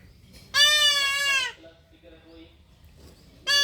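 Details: A young goat being castrated gives one long, loud, strained bleat, then falls quiet amid faint voices, before another cry starts at the end.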